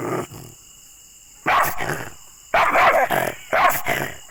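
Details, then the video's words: Angry pet dog giving three sharp, loud barks about one second apart after a short silence, each bark a harsh, noisy burst, with faint background hiss. "ANGRY Dogs Barking Sound Effects (Aggressive Dogs Barking)"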